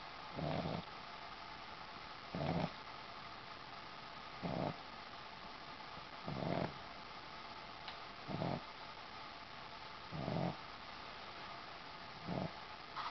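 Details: Boston Terrier asleep on a sheepskin snoring steadily: seven deep, gravelly breaths about every two seconds, evenly spaced, against a faint indoor hum.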